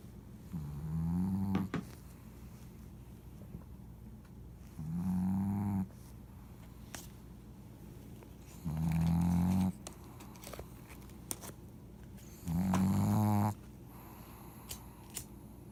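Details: Paguzo the pug snoring: four drawn-out, low, throaty snores, each rising slightly in pitch and lasting about a second, spaced roughly four seconds apart with quiet breathing pauses between.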